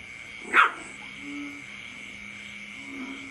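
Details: A puppy, offspring of a brother and sister, barks at its father: one short, sharp, loud bark near the start, then quiet, with a steady high-pitched hum throughout and faint low tones later.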